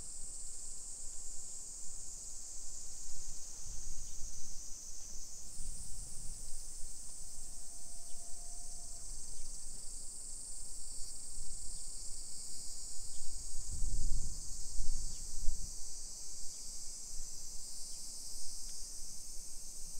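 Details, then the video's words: Summer cicadas in a hillside residential suburb of Nisshin near Nagoya, Aichi, Japan, at 1 PM on 28 July 2021, make a steady high hissing drone that never breaks. Low rumbles, probably from traffic or footsteps, swell around fourteen seconds, and a brief mid tone sounds. "Summer Cicadas Sounds"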